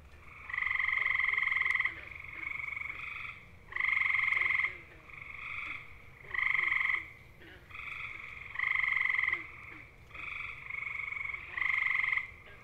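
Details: Gray tree frogs, Hyla versicolor, of eastern North America calling to attract mates: loud, musical, bird-like trills about half a second to a second long, repeated every couple of seconds, with several males overlapping at different loudness.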